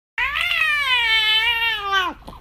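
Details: British Shorthair cat indoors in Chaozhou, southern China, throwing a tantrum after its treat was taken away: one long, loud, drawn-out meow held steady for about two seconds, then dropping sharply at the end.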